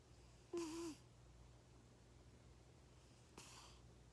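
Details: Sleeping cat with its eyes half open, snoring indoors: one breathy snore carrying a low hum, then a second softer exhale about three seconds later, over a quiet steady room hum.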